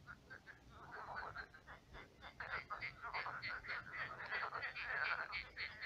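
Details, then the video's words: Many frogs croaking at night in a shallow pond turned marsh; dense overlapping pulsed croaks in a steady chorus, quieter at first then swelling, with a faint low hum beneath. "Кваканье лягушек. Лягушки квакают."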